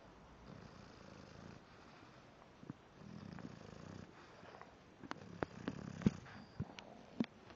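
An English bulldog snores softly, each breath a low, throaty rumble rising and fading every two to three seconds. Brief clicks and snuffling pops break in between the breaths.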